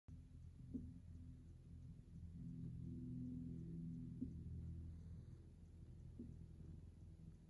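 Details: Relaxed tabby cat lying wedged between a cat tree and a window sill, purring and moving its paws; a soft, steady low rumble runs throughout with faint pulsing, plus a few quiet clicks and light background hiss.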